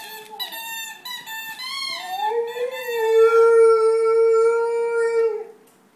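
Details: Rhodesian Ridgeback howling while playing: a long, steady, richly harmonic singing howl that rises, wavers and then holds one pitch for about three seconds before breaking off.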